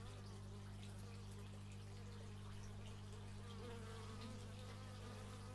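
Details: Several bees fly about outdoors, captured in stereo on an x/y microphone; their buzzy tones waver and shift in pitch as they pass, while a constant deep engine-like hum runs underneath.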